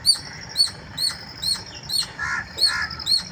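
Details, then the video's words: Morning squeals from a squirrel, a series of short piercing chirps about every half second, interrupted near the end by two harsher, lower-pitched squawks. "Squirrel Squeal in the wonderful Morning"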